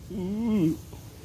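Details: Tortoiseshell cat, described as brown, running about and playing; one drawn-out meow that rises then falls in pitch, lasting under a second, over a low background hum.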